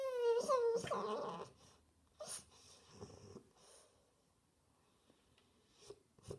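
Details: Attention-seeking French Bulldog indoors opens with a quavering, falling whine, then trails into soft breathy snorts and faint shuffling.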